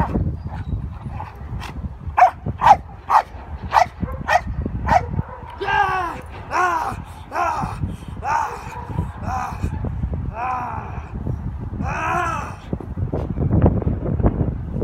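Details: Belgian Malinois Lighter working a decoy escape task at the Baxton facility; a quick run of sharp, evenly spaced barks opens, then human shouting and talking take over amid steady background rumble.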